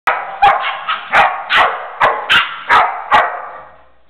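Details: Female dog Jana plays gently with a Pitbull puppy that barks and jumps at her to 'attack'; a run of eight sharp, loud barks about every half second, fading at the end.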